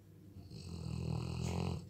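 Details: Weimaraner dog sleeping indoors at home, snoring: one slow, low rumbling breath that swells over about a second and a half, with a faint raspy hiss on top.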